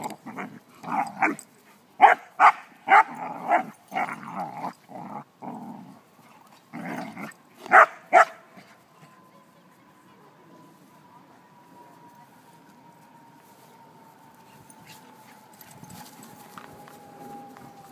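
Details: An Alaskan Malamute playing with another dog gives a burst of short, gruff barks and yips, then falls quiet under a faint steady tone.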